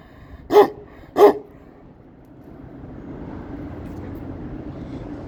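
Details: Kangal guarding its area, giving two loud, deep barks about half a second apart, followed by a steady low rumble like a passing vehicle.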